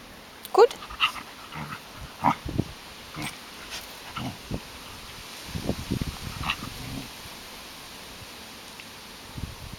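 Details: Female Samoyed, three years old, playing with an eleven-week-old Sheltie puppy; short sharp yelps and squeaky, growly bursts come in scattered clusters over ten seconds, with quiet gaps between and a steady faint background hiss.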